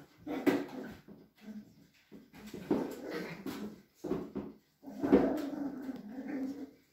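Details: Cavalier King Charles Spaniel whimpering at a breeder's home in a Sierra de Madrid village, Spain; high, tonal whines come in several drawn-out bursts separated by brief pauses, the last one long and steady.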